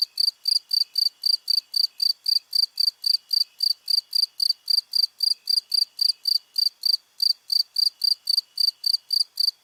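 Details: Steady cricket calling: shrill, evenly spaced chirps repeated roughly 220 times a minute, continuing almost without a gap against a silent background.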